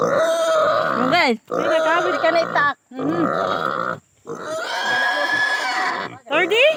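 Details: Native pig being castrated, screaming in four sustained bursts with sharp rising and falling pitch sweeps, separated by short gaps; human voices possibly underneath.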